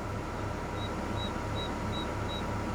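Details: A bell cricket at night near the river in and outside Marloth Park, South Africa, under the moon gives short, pure, almost whistle-like tones, repeated evenly about every third of a second.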